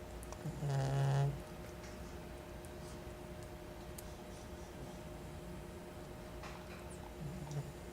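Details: Caramelosh the cat snoring indoors: one low, rasping snore near the start, then a quiet stretch and a faint second breath at the end, over steady room hum.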